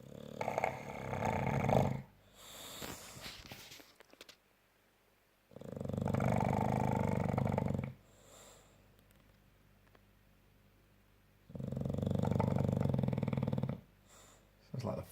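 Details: A French bulldog snores in long, low, rasping breaths. Each buzzing rumble lasts about two seconds and returns roughly every five to six seconds, with quiet gaps and faint shuffling between them.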